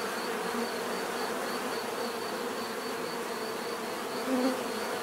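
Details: Many bees humming in nature, a continuous even drone with low steady bands and a faint throbbing high whine, one brief louder buzz passing near the end.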